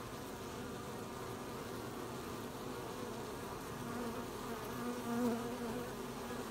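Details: Bees busy collecting honey, 20 July 2020: a low, constant swarm drone that swells toward the end as a single bee flies close, its buzz rising in pitch briefly.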